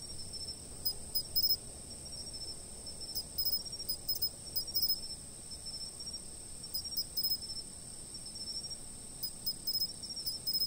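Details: Chirping insects recorded with a stationary camera, with an unbroken high-pitched ringing drone and bright, clipped chirps in bunches of three or four that repeat at uneven intervals over a quiet background.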